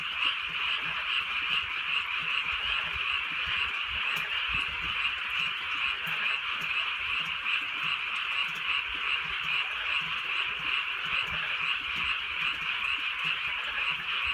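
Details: Rural night chorus of frogs under drizzling rain: continuous rapid, shrill croaking from many callers, even in loudness, with a low rumble of rain and drips beneath.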